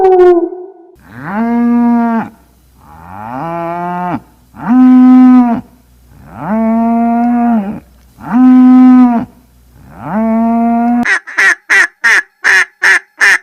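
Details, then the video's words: Cow mooing: a series of five or six long, steady, deep moos, each lasting about a second and a half with short gaps, followed by a quick burst of sharp repeated clicks at the end. "Cow mooing"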